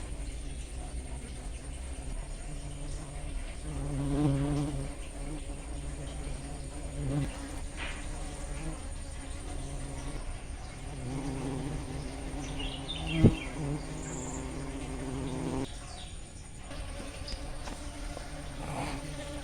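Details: A swarm of giant honey bees (Apis dorsata), come during the rainy season to drink sugar syrup left for Apis cerena, hums in a low, steady wing-buzz drone that swells and fades as they fly close.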